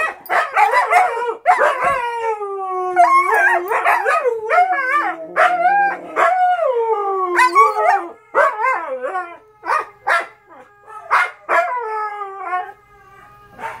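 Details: Siberian Huskies at night, 2:00 AM: puppies howling behind the adult mother and father huskies complaining to each other; layered sliding howls and yodel-like moans, with stretches of swooping calls and short yelps.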